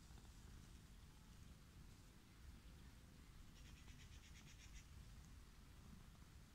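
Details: An orange tabby living wild, petted while sprawled on grass, purrs happily in an unbroken low rumble; a short burst of crisp rustling or scratching rises midway over the purr.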